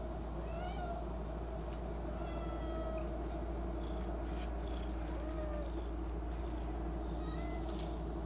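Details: Cat camped at the pantry begging for Friskies treats, meowing repeatedly in soft, wavering harmonic calls spread across the stretch, with a steady background hum and a sharp knock near the end.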